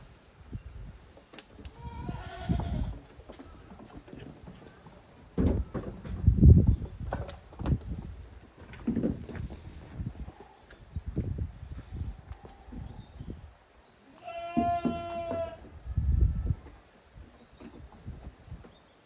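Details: Young goat kids playing hard in the exercise yard of Yoshigake goat farm, Japan, on 30 April 2023: one clear wavering bleat near the end, amid repeated low thuds and scuffling from the play and faint voices.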